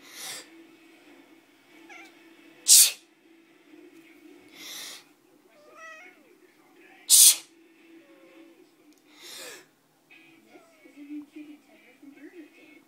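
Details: House cat that does not like sneezes, with two loud human sneezes and softer breathy bursts, followed by short, quiet, bending meows between them over a low background hum.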